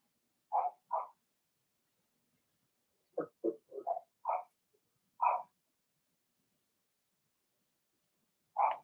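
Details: Young Blenheim Cavalier King Charles Spaniel puppies, litter of six, in an indoor puppy pen; irregular bursts of short high yaps: a pair, a quick cluster of four, then single barks spaced by pauses.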